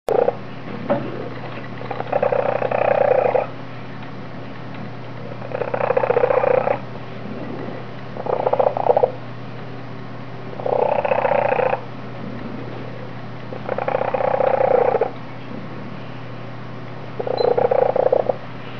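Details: Monaghan, also called Jasper, a foster kitten with an unusually loud purr, purring in long rumbling bursts of about one to one and a half seconds, separated by quieter pauses, over a steady low hum.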